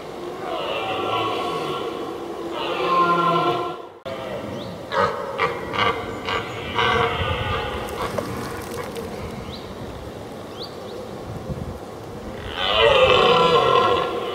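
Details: Two red deer stags roaring at each other before a fight: long harmonic bellows open and close the stretch, while the middle holds sharp clattering knocks and rustling between calls.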